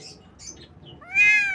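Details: Morning with baby kittens: after faint high chirps and hiss, one loud, sharp kitten mew bursts out near the end, bright and harmonic, holding steady before trailing off.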